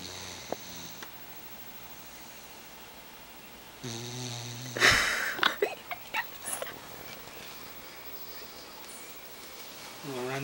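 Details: Sleeping puggle named Marley snoring as usual indoors: a single drawn-out, low, ribbed snore midway, then a burst of sharp knocks and rustles, with another snore starting at the end.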